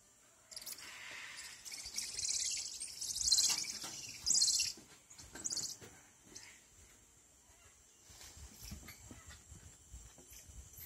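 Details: Squirrel monkeys calling in a cluster of shrill, high chirps and squeaks that build in the first seconds and then fade, followed by quiet ambient rustling.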